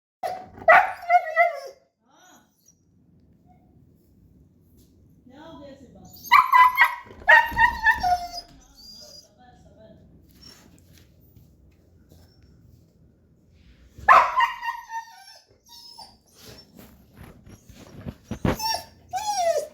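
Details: Siberian Husky, one of two in a home, gives drawn-out, wavering whines and yowls, wanting to go outside.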